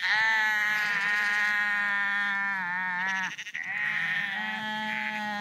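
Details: Sheep walking along the Porrenkoogdeich dike near Husum, Nordfriesland; a long, wavering, nasal bleat of about three seconds, a brief pause, then another sustained bleat, with overlapping voices.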